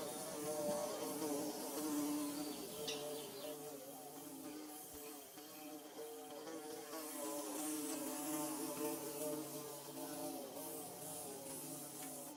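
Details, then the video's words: Nest-building bees fill the air with a dense, continuous buzz, several pitches weaving and shifting as insects move nearer and farther, loudness dipping briefly around the middle before rising again. "Bee Buzzing"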